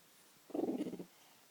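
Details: French bulldog making a weird noise: a single short, low grunting rumble lasting about half a second, with a slightly throaty, purring texture, in an otherwise quiet room.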